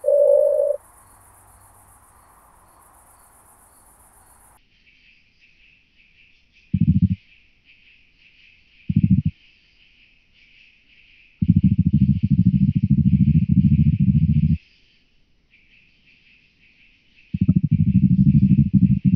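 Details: Oak bush-cricket (Meconema thalassinum) at Starnberg, Germany, 18 July 2023, picked up with an ultrasound detector. Low rattling bursts: two brief ones, then a longer burst of about three seconds and another, over a faint steady high hum.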